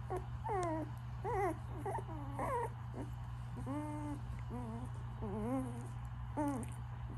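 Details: Pomsky puppies in a pile, whimpering and whining in a run of wavering, cry-like notes, some long and arched, others short and broken, with a low steady hum behind.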